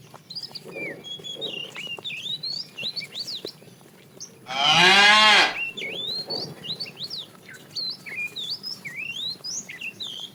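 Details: Tame cattle herded in the afternoon; a fat cow calls the female with one loud, drawn-out moo lasting about a second, framed by busy, high, twittering birdsong and faint low lowing in the background.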